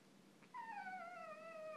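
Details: Eight-month-old Boston Terrier whining because it is not getting attention: a single drawn-out, high nasal whine that slides slowly downward for over a second, with a quiet room behind it.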